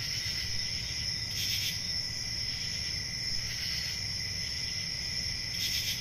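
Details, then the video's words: A shrill, unbroken cricket trill sits high, with two brighter raspy bursts near the middle and end of the stretch. A faint low background murmur runs throughout. "Relaxing Cricket Sounds"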